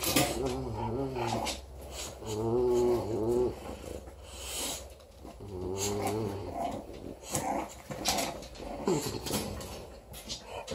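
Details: A 4-week-old female English Bulldog puppy, playing with her teddy bear, gives tonal, wavering growls in short bursts, with scuffling noises between.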